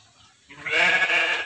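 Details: Texel sheep in a simple livestock pen, one sustained, quavering bleat of about a second that starts abruptly after quiet and stays loud and steady before cutting off.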